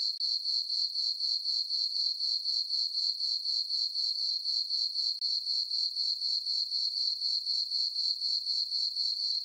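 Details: Night chorus of crickets in a summer meadow on a farm under a full moon; bright high-pitched pulsed chirping, roughly four pulses a second, with two short gaps in an otherwise steady stream.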